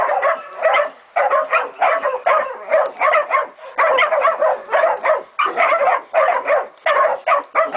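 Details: Catahoula and BMC pups, 16, 11 and 14 weeks old, baying a pig at Golden Creek Catahoulas Kennel; sharp barks come in grouped bursts of two to four, separated by brief silences.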